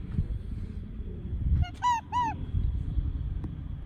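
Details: Wandering wild red fox giving a bird-like call: two short, arched, harmonic-rich cries in quick succession, each about a quarter second, over a low rumbling background of wind or ground noise.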